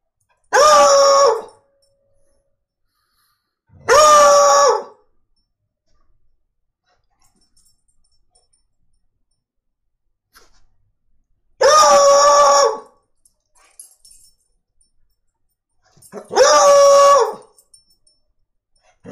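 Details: Shasta, a foxhound, sings four separate full-throated bays, each about a second long and held at a steady pitch with a slight wavering, set apart by long silences broken only by faint indoor shuffles.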